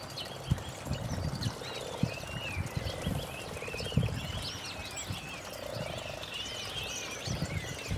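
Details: Frogs at a garden pond on a nice early-spring day in 2012 give low, purring croaks in short rattling bursts, with songbirds twittering in the background and occasional splashes or knocks.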